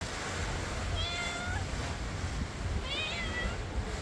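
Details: Homeless hungry cats waiting for food by the sea; two drawn-out meows, the first wavering then falling, the second higher and bending down, over steady low rumbling surf or wind noise.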